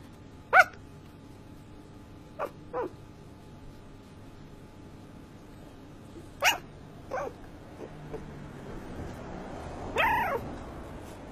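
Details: Shiba Inu dog talking in its sleep: a few short, muffled yelps widely spaced across the stretch, the last one a slightly longer strained whimper, over a quiet steady room hum.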